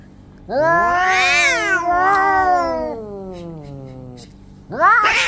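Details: Orange domestic cats fighting each other: a long harmonic yowl swells upward, holds, then slides slowly down over about three seconds and fades, followed after a pause by a sharp, rising screech.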